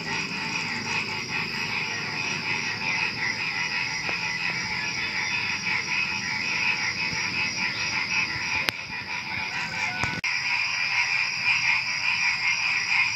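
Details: Before dawn at night, many frogs croak together with crickets in a lively, steady chorus of fast pulsed notes; two sharp knocks break in near the end.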